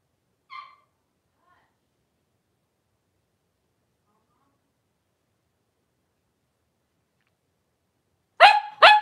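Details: Mother Paris and five blenheim Cavalier King Charles Spaniel puppies in their indoor pen, 26 January 2023. One faint high yip opens a long silence, broken at the end by two loud rapid barks.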